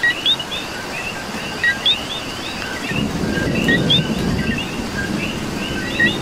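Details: Rain-soaked coqui chorus from Puerto Rico: short whistled two-tone chirps from several frogs, then a surge of heavier rain or distant rumble joins midway.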